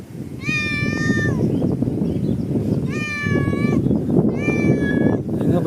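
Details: Domestic cat searching for something, giving three drawn-out, tonal meows about a second apart, each held steady then falling slightly at the end, over a low rumbling background and a person talking in Tamil.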